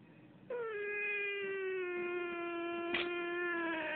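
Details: A cat howling: one long, steady, rich-toned wail held for about three and a half seconds, sliding slowly lower in pitch, with a brief sharper catch near the end.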